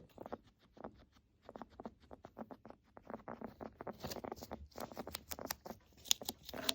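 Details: Guinea pig kept as a pet, its breathing crackling and rattling as a sign of respiratory illness: sparse soft clicks at first, then denser, sharper crackling bursts roughly every half second.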